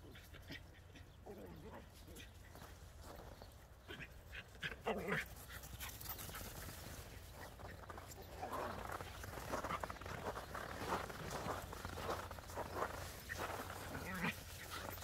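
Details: Border Collie and Jack Russell Terrier playing chase in the snow; short scattered whimpers and yips break through steady crunching footsteps, with a low background hum and faint human speech.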